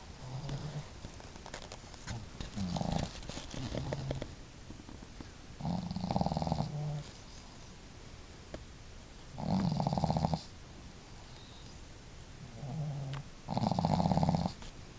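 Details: Snoring duet of two family dogs: female Marimo snores heavily, Daigoro more gently. Rhythmic, gravelly low snores repeat every few seconds, loud rasps alternating with fainter breaths, in a quiet indoor room.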